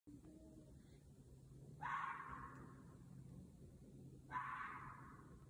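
A red fox gives two harsh, raspy barks about two and a half seconds apart as a mating call.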